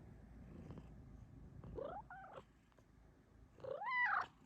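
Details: A female Bengal cat gives two rising-and-falling meows, the second louder and longer, while asking for cuddles.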